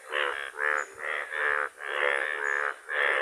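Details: Male yellow frogs calling in a pond beside a rice field after night rain, vocal sacs swelling from the jaw, near black females during mating; loud nasal bleating croaks in bursts of about half a second, repeated almost continuously.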